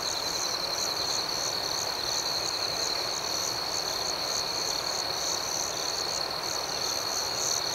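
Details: Nighttime cricket chorus with a continuous high, shrill trill and faster rhythmic pulsing layered above, holding an even level throughout with no other clear sounds.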